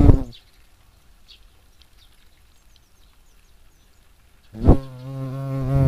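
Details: European hornet (Vespa crabro) in action: a loud, low droning wing buzz with rich harmonics sounds briefly, then fades to near quiet with faint distant bird chirps. The deep buzz swells back strongly and holds to the end.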